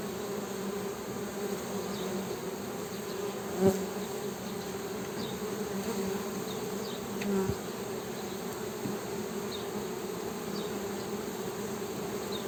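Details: Honey bees humming in a constant low buzz that never pauses, twin steady tones, interrupted by a couple of brief sharp clicks and scattered faint high chirps behind.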